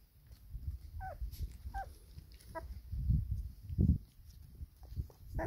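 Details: Pedigree black Labrador Retriever puppies, four weeks old, with their mother while feeding in the sunshine; a few short high squeaky whimpers with bending pitch, over steady low rumbling and thudding handling noise.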